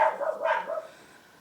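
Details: Household dogs barking outside during indoor craft work; two or three clustered barks at the start, then near silence until one last bark begins.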